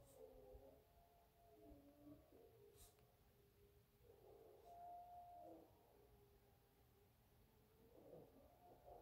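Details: Several coyotes howl at night in Albuquerque, New Mexico, their wavering, sliding tones overlapping in a distant chorus, heard on waking and found creepy.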